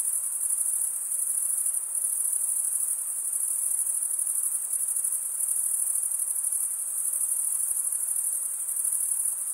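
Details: Crickets chirping by stridulation: an unbroken, very high-pitched shimmering trill that holds at the same pitch and loudness throughout, with no other sounds.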